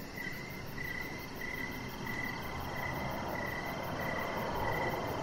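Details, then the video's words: Cricket chirps on an evening deck, regular short high pulses about every half second, partly buried under a rising low-frequency rumble that grows louder toward the end. "Cricket Sounds"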